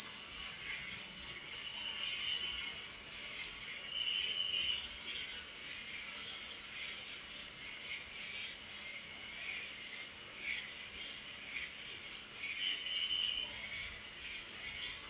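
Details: Night cricket chorus with a continuous shrill ringing trill and gently throbbing pulses, overlaid by fainter, lower chirps that come and go from more distant insects.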